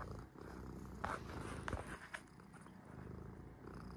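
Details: Sora, a cat at rest, gives a deep, throbbing purr, briefly interrupted by a few soft breathy rustles before the steady rumble resumes.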